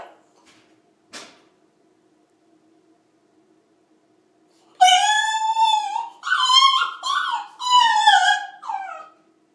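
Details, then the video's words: Turtle, a French Bulldog, gives its 'death yodel': after a quiet start with a brief click, loud drawn-out wavering howls in three or four rich bursts slide up and down, indoors. "Turtle the Frenchie's Death Yodel Pt. 2"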